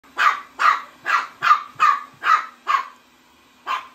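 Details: Chihuahua barking while a vacuum cleaner chases it: seven sharp, bright barks in quick succession, about one every 0.4 seconds, then a pause and one final bark.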